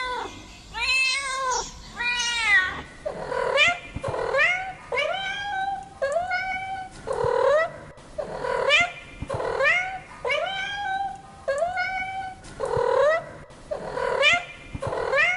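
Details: Domestic cats meowing in a long run of repeated harmonic-rich meows, roughly one per second, each rising then falling, with a couple of higher, sharper cries at the start; no other sounds stand out.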